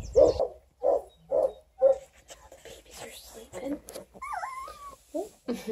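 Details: Twelve-day-old Redtick Coonhound x Black & Tan Coonhound cross puppies from a litter of eleven near Kingston, Ontario, Canada; four short whimpers at a steady pace, then softer fussing and a high wavering squeal, with faint human voices.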